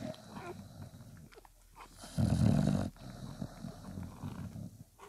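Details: Five-day-old Bulldog puppies with their mother Spikkels, a patient dam nursing her litter; a single loud, low, rough grunting burst of under a second stands out against quieter snuffling and breathing noises.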